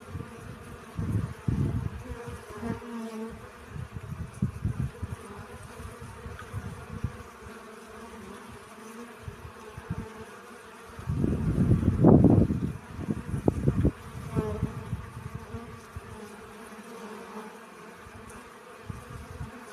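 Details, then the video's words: Honey bees collecting pollen buzz in low, droning passes that swell loudly and fade as they fly close. "🐝 Relaxing Bee Sounds. Сбор пыльцы."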